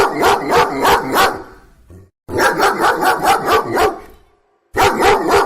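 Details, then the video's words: Loud dog barks come in quick runs of five to six, several short gaps breaking the sequence into three bursts. "ЗВУК СОБАКИ | Який звук видає собака"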